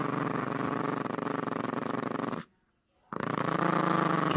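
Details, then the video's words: Yorkshire Terrier puppy Gracie growling during a tug-of-war game over a squeaky toy; a steady pulsing growl with a short silent break midway. "Yorkie Growling and playing tug-of-war"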